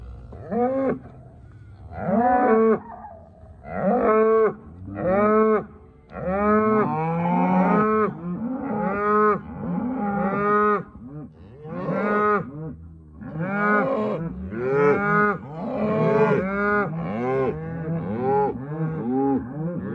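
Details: Hereford and Black Baldy cows with calves giving loud, harmonic-rich moos in a steady run, one call roughly every one to two seconds. Each moo has a short rising onset and then falls away.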